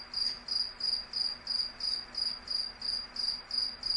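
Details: Nighttime insect chirping: a piercing high pulse recurring about every third of a second, steady and regular throughout, with a quiet low hum in the background.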